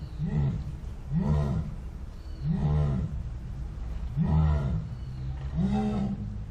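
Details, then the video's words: Jaguar (Panthera onca) roaring with slow, deep, rasping grunts spaced about one to one and a half seconds apart, each a short low hoarse stroke over a rumbling background. "Som de Onça Pintada / Jaguar"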